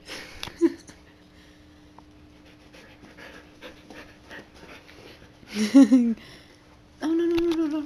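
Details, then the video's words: Siberian Huskies at play; light panting, then a short wavering whine and a longer steady, tonal, talking-like moan near the end. "Huskies Playing"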